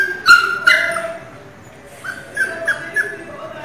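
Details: Pinscher puppy crying loudly: two sharp, high yelping cries early on, then a quieter run of short whining cries near the end, with faint background noise between.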